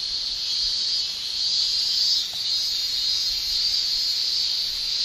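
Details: Cicadas singing in a Japanese summer, male tymbal song heard as a steady, bright electric hiss that rises and ebbs slowly over several seconds.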